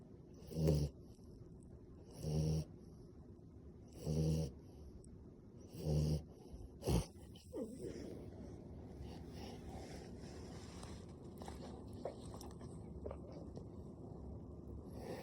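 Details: French Bulldog snoring while asleep with open eyes: four short, low, rasping snores at regular two-second intervals, then a sharp snort, followed by quieter breathing and faint background room noise for the rest.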